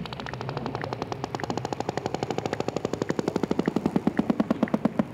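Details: Sperm whale emitting a fast, rattling run of sharp clicks, about ten per second, growing louder and more evenly spaced toward the end, resembling a rapid knocking.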